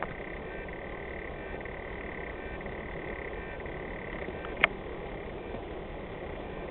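A frog gives a long, steady, high-pitched trill that holds for several seconds before stopping.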